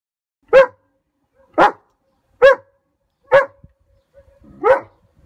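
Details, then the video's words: German Shepherd named Odin barking at an approaching hot air balloon: five loud, sharp barks spaced about a second apart, each a brief harmonic burst, with near silence between them. "Odin's Balloon Tantrum"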